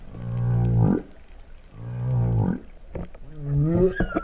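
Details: Humpback whales in Tonga's Vava'u waters, September 2015, singing with a moo-like tone. Two long, deep, rough pulsing groans, each rising at its end, are followed by a wavering moan that bends upward into a higher note.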